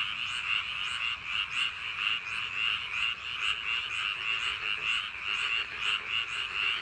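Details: On a summer night by paddy field banks, many frogs croak together in an unbroken chorus, with pulsing swells of louder calls repeating at short intervals.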